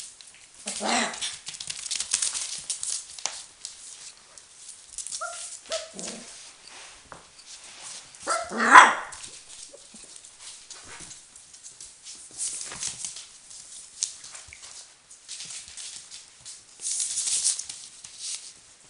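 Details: Four-week-old Border Collie puppies of the Arttulan litter with their mother Nova, a Finnish champion. A few short, high whimpers and yaps come through amid scuffling and rustling, with a louder bark near the middle.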